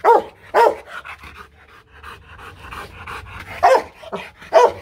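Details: Aggressive Rottweiler at a Hanoi kennel in Vietnam gives two hard barks, pants and breathes roughly through a quieter stretch, then fires two more loud barks.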